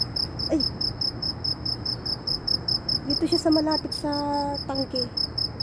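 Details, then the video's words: High, steady pulsed chirping of a loud insect in Saudi Arabia, ringing on throughout while a person talks and briefly sings over it in the second half. "ANONG INSEKTO KAYA ITO ANG LAKAS NG HUNI / TUNOG NG INSEKTO"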